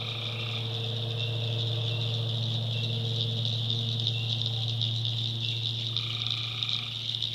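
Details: After dark in a North Carolina backwoods swamp, tree frogs keep up a thick high trilling chorus above a strong, steady low drone, with brief mid-pitched tones at the start and end.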